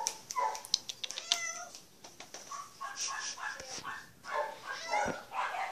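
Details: Maine Coon cat up for adoption, recorded 15 April 2014: several short, harmonic meows with bending, rising-and-falling pitch, separated by clicks and rustling handling noises.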